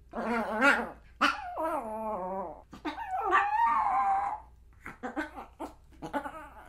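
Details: Pomeranian dog in a fast, uneven string of yappy barks and whining growls, some notes wavering and drawn out, ending in short clipped yaps over a steady low hum.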